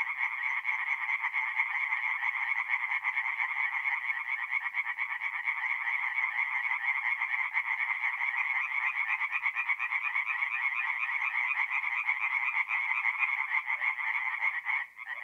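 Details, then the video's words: Tree frogs singing at night at a forest pond in north-east Italy in mid-April: a dense, continuous chorus of rapid raspy pulses, several frogs overlapping in an unbroken band with no other sounds. "relaxing forest pond by night with singing tree frogs"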